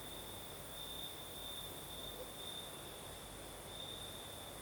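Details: Southern Crimea at night: crickets keep up an unbroken high trill, briefly louder in short bursts, while the night breeze makes a soft, even hiss underneath.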